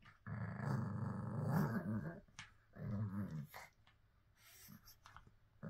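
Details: Pug dog indoors making a long, low, rough growling rumble lasting about two seconds, then a shorter one, followed by quieter snuffly breathing and small sniffs.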